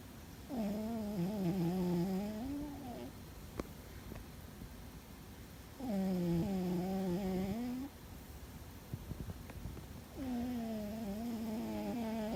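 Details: Loud snoring from Fuzzy, a sleeping cat: three long, tonal, buzzy breaths, each about two and a half seconds and rising slightly at the end, coming roughly every four to five seconds with quiet pauses between.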